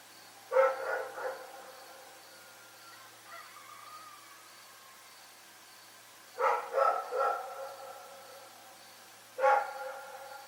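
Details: Rex, a dog, barking at night: three bursts of two or three harsh, harmonic barks, with long quiet gaps between bursts.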